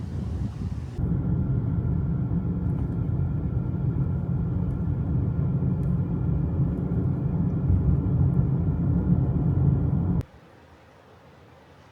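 Steady low engine rumble of a vehicle, with no animal sounds.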